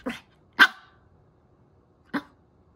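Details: Angry Chihuahua, frustrated at hearing treats and food mentioned repeatedly without getting any, gives three sharp barks indoors: two close together in the first second, then a single bark after a pause of about one and a half seconds, with silence between.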